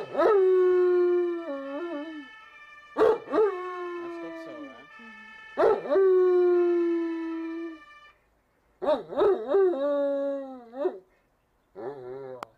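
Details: A ten-year-old Giant Schnauzer howls in repeated bouts, each opening with a sharp yelp then a long held tone that bends and wavers at its end, roughly five bouts with brief pauses between.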